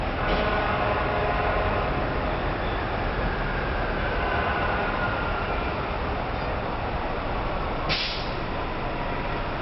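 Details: Loud rolling train noise with a brief hiss of air brakes near the end, and no animal sound.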